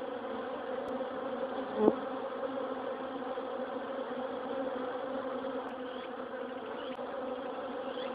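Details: Honey bees leave their hive through a wire-mesh hornet guard covering it in autumn, humming in a steady, many-layered drone of wingbeats, with a brief louder buzz near the start.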